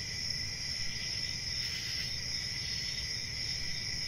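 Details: Crickets chirping in a steady, unbroken high-pitched trill, with two bright bands of sound holding evenly throughout and a low rumble of background noise underneath.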